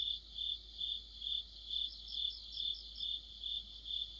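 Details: Autumn night chorus of crickets and other insects, high metallic chirps repeating about twice a second, with a higher fluttering trill joining in the middle.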